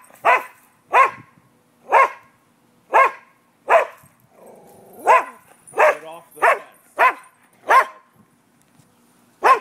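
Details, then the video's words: Dogs barking at noon on 5 November 2015 during a neighbourhood nuisance complaint: loud, evenly spaced single barks roughly every second, a brief low murmur midway, then a quick cluster before a final bark. "Barking dogs"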